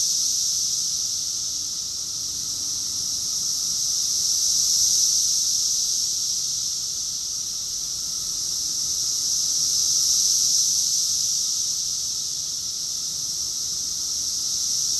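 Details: Cicadas singing together in Rockville, Maryland, USA, during summer, June 2021: a high, sizzling continuous drone pulsing in slow surges near five and ten seconds, a softer thin tone held steady below.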